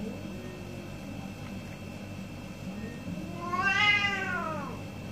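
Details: One of two orange domestic cats during a morning exchange gives a single meow near the end, rising and falling, after a faint quieter call, set against a steady low hum.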